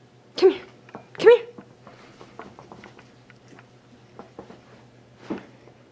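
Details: Lego, an almost two-year-old male Shiba Inu, vocalizing indoors while trying to catch socks; two loud, short harmonic yelps rising in pitch about a second apart, followed by soft rustling and one fainter yelp near the end.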